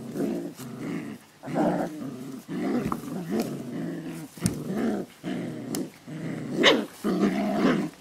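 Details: Puppies at play, recorded 27 July 2012, trade low, gravelly growls in bursts of about a second, separated by short gaps. Sharp clicks and scuffling punctuate the growling, and a few snappy bark-like yelps appear near the end.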